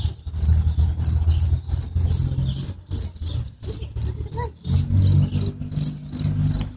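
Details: High, sharp cricket chirps in quick succession, close to three per second with slightly uneven spacing, above a steady low-frequency drone.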